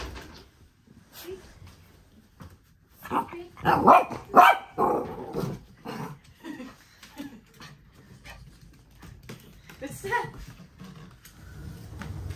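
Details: Dog named Callie barking during play with her owner indoors, several short sharp barks bunched in the middle, mixed with spoken commands and praise, footsteps and rustling around them.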